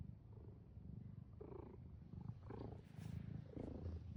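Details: Soft cat purr, a low rough throbbing that rises and falls with breathing, with slightly louder pulses in the second half and faint rustling.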